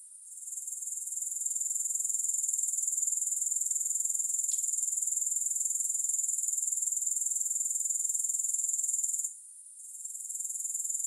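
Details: A sustained shrill chorus of grasshoppers with no music: rapid, even pulses at a very high pitch. A couple of faint clicks sound in the first half, and a short gap comes near the end.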